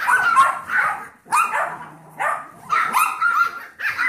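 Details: Seven-week-old foster Yorkshire Terrier puppies with the Golden Retriever mix puppy Trouble. High squeaky barks come in separate clusters of about half a second to a second, with short quiet gaps and a faint low hum between.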